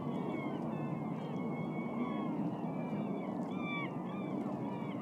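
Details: Beluga whales in the Naknek River, Katmai National Park, Alaska, on 26 April 2014, swimming upstream in spring to feed on schools of smelt; several clear rising and falling whistles and chirps over a constant rushing underwater noise.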